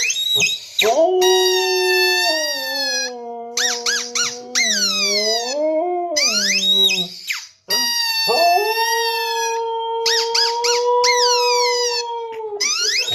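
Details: A Siberian husky, reacting to a squeaky sound, howls in long, wavering, rich-toned notes that rise and fall.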